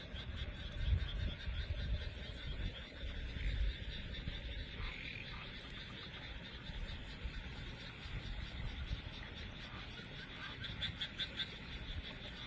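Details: Frogs singing on a summer night in rural Wakayama, Japan, recorded outdoors in the countryside; a dense, steady chorus of overlapping croaks and trills fills the night, with a high insect-like hiss running throughout.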